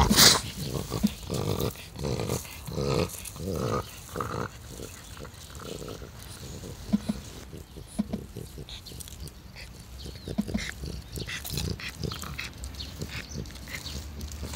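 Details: Taro, a 12-year-old French Bulldog, out on a walk on 15 July 2016, snorting and grunting in a quick run of rough, pulsed breaths for the first few seconds, then softer scattered snuffles under outdoor background noise.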